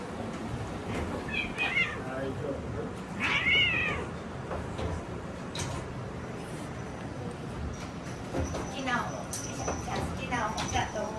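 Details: Munchkin cats at a reservation-only cat cafe in Kyoto, Japan, run by a breeder and home to about 100 of them; a few short high meows, the clearest near the middle, over people talking and room noise.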